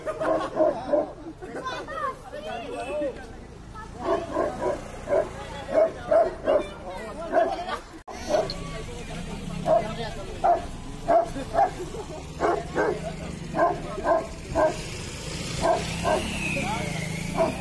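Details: Tibetan Mastiff barking in public among people: a long run of short, deep barks repeated roughly twice a second, with a brief pause midway, over steady background noise and human voices.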